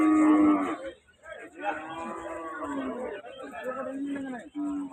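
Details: Cattle at the Rajshahi City cattle market in Bangladesh, where buyers come to purchase cows; a long drawn-out moo with a short pause, then further wavering lowing calls amid market noise.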